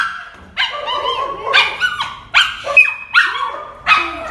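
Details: Dog whining in distress because a companion dog went for a walk first: five or six drawn-out, wavering, high whines with sliding pitch, each repeated about every second, separated by brief quiet.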